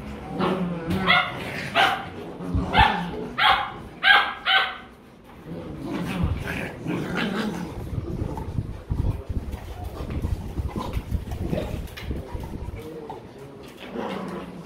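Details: German Rottweiler puppies kept as pets in Vietnam, playing and wrestling; a run of sharp, high yipping barks about once a second early on, then softer grumbling growls and scuffling while a person speaks nearby.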